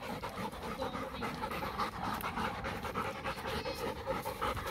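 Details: Dog of German Shepherd x Labrador mix panting hard during playtime, fast regular breathy puffs repeated nearly twice a second, close and continuous with no other clear sounds.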